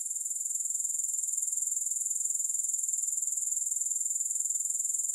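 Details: Soothing grasshopper sound, no music: an unbroken high-pitched buzzing trill made of fast, even pulses, holding a constant level throughout.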